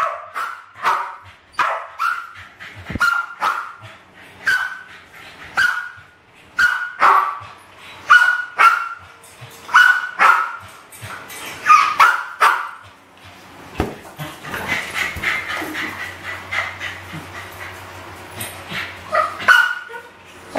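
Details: Two West Highland White Terriers, Alfie and Crystal, about 7 and 8 years old, playing with balloons in a kitchen in 2012 and trying to kill them: rapid, repeated sharp barks and yips, with brief bursts of rustling and squeaking between them.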